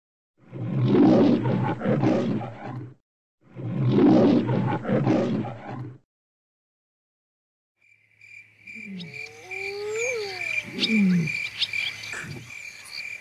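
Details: Barbary lion (Atlas lion) at the Parc Zoologique de Paris in September 2014 gives two long, rough, low roaring bursts of about two and a half seconds each. After a pause come higher sliding tonal calls over a steady high whine.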